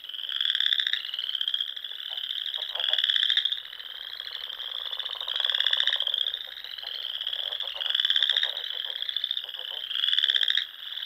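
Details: Spring frogs singing at dusk beside Sandhills ponds in Nebraska, a steady wall of shrill pulsed trills rising and falling in loudness every couple of seconds, many callers overlapping, nothing else audible.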